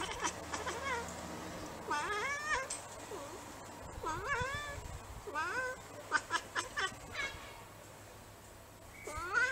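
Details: Bengal cat meowing repeatedly, a run of short rising-then-falling mews, some squeaky and bent in pitch, about six or seven calls over the stretch, with soft indoor background noise and faint clicks.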